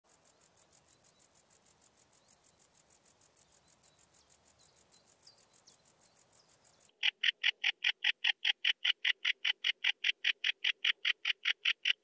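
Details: Bog bush-cricket (Metrioptera brachyptera) singing at Andechs, Germany, on 21 September 2018. It gives a steady run of short, dry, ticking chirps, about six per second, high and hissy at first, then lower-pitched and louder in the second half.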